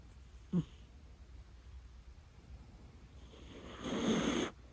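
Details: Pet house cat, one of two named Mei and Totoro, snoring indoors: a short low snort, then after a quiet pause a longer breathy, rasping snore lasting under a second over faint room hum.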